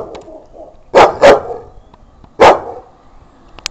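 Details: A Chow Chow dog gives three loud, gruff barks, two close together near the first second and one more after a short pause, with faint rustling between them.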